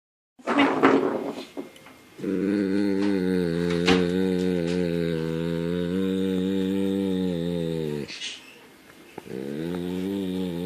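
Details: Shadow, a German Shepherd and Labrador mix, making weird sounds while getting ear scratches: a short rough vocal burst, then a steady, drawn-out low moaning groan held for about six seconds, and a second sustained moan starting near the end.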